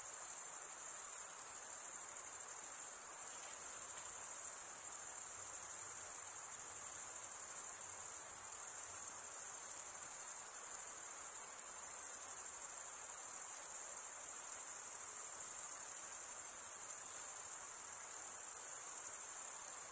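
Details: Unbroken high-pitched cricket chorus produced by stridulation, the wings scraped together in a fast, even pulse; a constant shimmering trill with a few brief dips in loudness.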